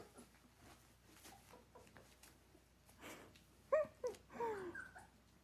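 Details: Giant Schnauzer puppy at play inside, tugging at another dog's tail; quiet rustling and breathing, then a burst of sharp, high whimpers and a drawn-out descending whine over the last two seconds.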